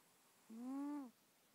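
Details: A sleeping female cat named Bubbles, captured close-up on an iPhone, gives one loud whistled snore of about half a second, a low tone with bright overtones that swells and then drops away.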